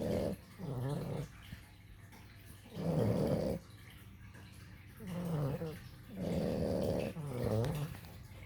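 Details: Puppies Rutger and Duncan asleep, giving a steady run of about five coarse, gurgling snores. Each rises and falls over a second or so, with short soft breaths between, in a quiet room.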